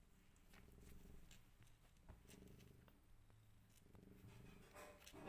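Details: Mother cat and her five rescued kittens, with a rich, low purr pulsing steadily in breath-long bursts, interrupted by a few faint clicks and rustling movements toward the end.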